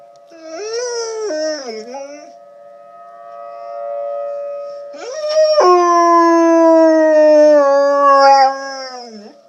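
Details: Dog howls while tornado sirens wail behind it. A shorter wavering howl is followed by a quieter gap, then a long, strong howl that holds steady before trailing downward. A continuous siren tone runs underneath.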